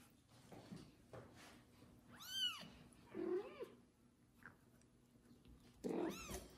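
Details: Kitten after its first bath, cared for and licked by a foster mother cat, meowing loudly: two high arched meows a few seconds apart, with softer low rustling and quieter sounds between.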